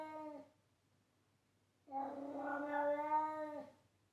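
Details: A pet cat meowing loudly indoors: the tail of one cry, a pause, then a single long, sustained meow lasting nearly two seconds that holds a steady pitch before ending abruptly.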